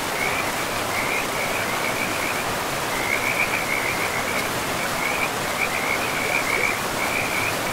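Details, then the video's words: Frog chorus beside a forest river: bursts of quick trilling croaks come and go every second or so, layered over a continuous wash of flowing water. "River and Frogs sleep sounds"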